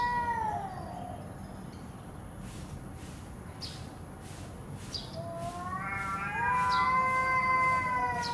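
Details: Domestic cat during a fight giving a drawn-out, wavering yowl that slides downward. A quiet pause follows, then a second long, rising, tense howl builds and holds to the end over a steady low hum.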